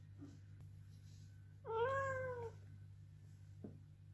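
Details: A male Ragdoll cat protests loudly in a garden with a single drawn-out meow that rises slightly and then falls.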